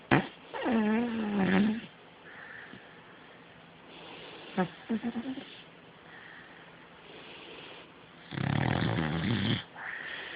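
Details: Sleeping beagle dreaming: a short whining, wavering moan, later a quick series of soft puffs, then a long raspy rattling snore, with quieter breathing between.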